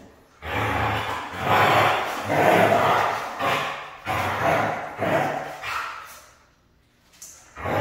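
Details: Siberian husky said to be hard to train, uttering a run of rough, breathy, moaning calls about once a second, each a short noisy swell, before falling quiet near the end.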